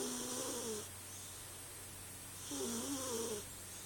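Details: Female Bombay cat asleep and dreaming, snoring softly: two low, raspy, slightly tonal breaths about two and a half seconds apart, each lasting under a second, over a steady indoor hiss and hum.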